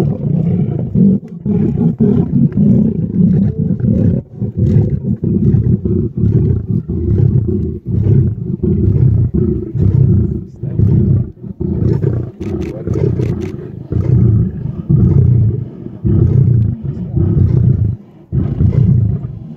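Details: Lion producing a continuous deep, rumbling, pulsed growl-roar, with rough bursts roughly once a second over a steady low throb.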